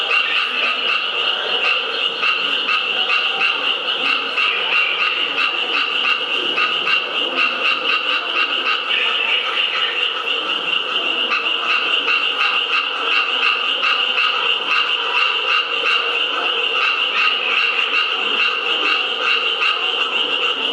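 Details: Japanese tree frogs calling at the National Museum of Nature and Science in Taito, Tokyo, on 15 April 2011: a dense, continuous chorus of rapid rasping pulses from many overlapping frogs, with no pause.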